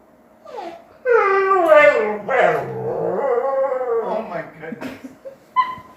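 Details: Female dog locked in her cage and wanting out, giving long, drawn-out, wavering whines that swoop up and down in pitch, then trailing into short yelps and squeaks.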